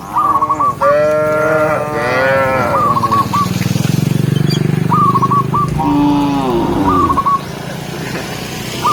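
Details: Herd of tame cattle, dozens of cows walking a forest path in search of green grass; a few harmonic moos over a heavy low rumble, with bursts of short repeated tonal chirps between calls.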